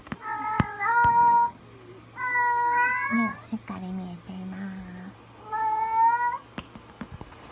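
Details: Munchkin kitten at 45 days old meowing indoors: a pair of quick, steady meows, then a longer one, and a final meow after a pause. Low murmuring sounds fill the gap between calls.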